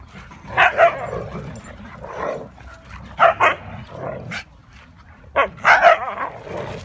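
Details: Huskies named Mia, Nola, Bender, Fry and Max at play, giving sharp yelping barks in three quick bursts of two or three, with quieter growly rumbles and yips between them.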